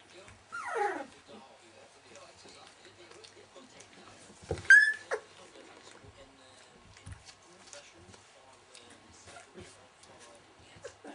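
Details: Welsh Springer Spaniel puppies at 19 days old: a high descending whine early on, then a sharp rising squeak a few seconds later, with faint shuffling between.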